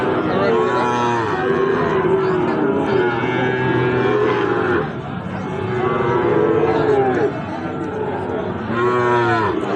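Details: At Ambari haat, the twice-weekly Friday and Monday livestock market, Sahiwal bull calves low repeatedly: three long, deep, drawn-out moos separated by short gaps, set against a murmuring crowd and voices.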